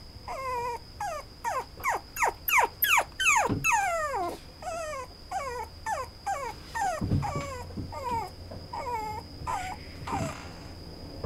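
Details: Brown Toy Poodle puppy, male, crying in rapid sequences of short downward-sliding whimpers and yips, several per second, with a few thumps and knocks and a persistent high electronic whine behind.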